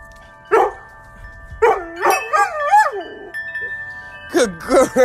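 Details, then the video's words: Wavering, yodelling howls from a female dog singing to wind chimes, given in short bursts with rising and falling pitch while sustained metallic chime tones ring behind her. "Dog sings her heart out to wind chimes."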